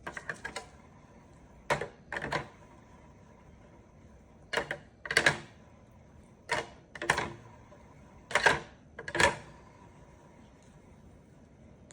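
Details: Sharp mechanical clicks and clacks in pairs and short bursts, like a typewriter or camera shutter, in a small quiet room with a faint steady tone and no animal voice.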